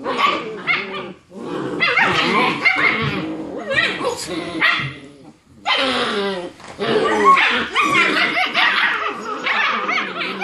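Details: German Shepherd puppies, six weeks old, seven in the litter, play fighting after dinner; a busy jumble of high yaps, growls and squeals, with a short lull midway before the noisy scuffle resumes.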